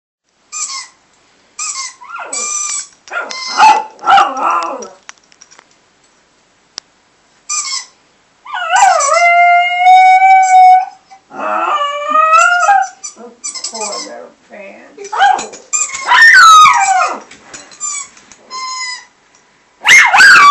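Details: Prince, a little pet Chihuahua, howls over Skype at a squeaky toy sound played through the computer. Short broken yelps build into a sustained, wavering high howl lasting about two seconds, then more rising and falling howled cries with brief pauses between.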